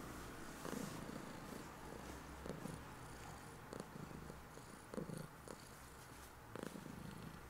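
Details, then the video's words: A female domestic cat lying on the bed with her owner just after waking in the morning purrs steadily, a low continuous rumble with soft rhythmic pulses. "My cat's purring won't let me get out of bed!"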